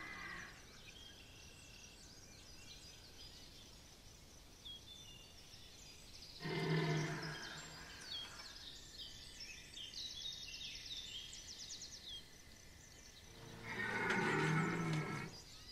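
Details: Red deer stag at Chambord, September 2021, bellowing during the rut: two deep, harsh, harmonic roars about seven seconds apart, each lasting roughly a second and a half, with small birds chirping and a thin steady whine in the background.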